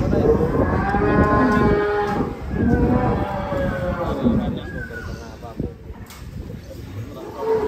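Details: Indonesian cattle-contest champion, a giant cow ridden by a child, letting out several deep harmonic moos in a row, fading toward the end as men chat nearby.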